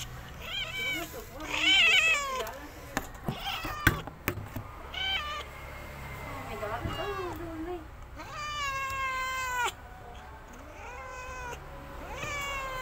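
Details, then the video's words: Sick Persian cat with a fever, weak and listless while being hand-fed, giving repeated drawn-out harmonic meows, some rising then falling, several in a row, with a person speaking Indonesian and handling noises between calls. "Kasian Kucing Persia Sakit Panas"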